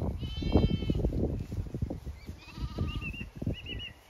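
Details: Zwartbles sheep flock on a regenerative farm in County Kilkenny, Ireland, moving to a fresh field for cool late afternoon grazing; one loud, wavering bleat, then rustling, trampling and faint bird chirps.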